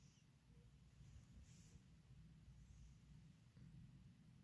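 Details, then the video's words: Resting cat snoring: a steady low rumble of breathing with soft swells as each breath passes, close and quiet, with a faint hiss in the background. "Cat resting breathing snoring sounds"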